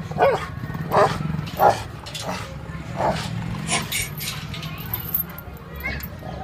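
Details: Rottweilers in a fight, a run of sharp barks roughly every half second to second, followed by quieter scuffling noises and a low background hum.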